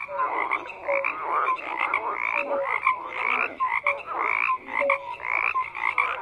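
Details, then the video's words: Many frogs croak at once in a thick chorus: rapid raspy pulses layered with brief piping notes, the volume swelling and dipping in uneven waves. "FROGS CROAKING"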